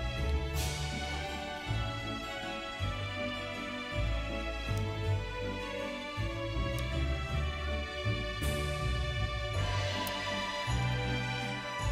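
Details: Soft, tender instrumental background music with sustained notes and gentle piano-like strikes plays throughout.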